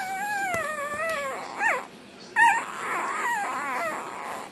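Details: A black tri Australian Shepherd puppy, which loves to eat, sings over its dinner. A long, wavering whine glides slowly downward, then short bursts and sharp clicks or clatter follow, and a softer warbling whine closes the clip.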